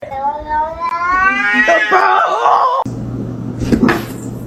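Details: Cat giving a long drawn meow that rises and wavers for almost three seconds with strong harmonics, then stops abruptly; a low steady hum and a brief clatter follow.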